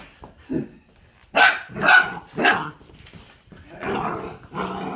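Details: Pet dog Doug protests indoors as his toys are cleaned up: three loud rough barks in quick succession, then a pause and two more gruffer barks, with a faint growly edge.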